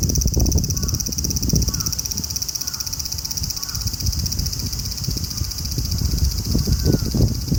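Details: Unbroken high sizzling drone of a large brown cicada, with a crow cawing several times and heavy low rumble of wind or traffic underneath.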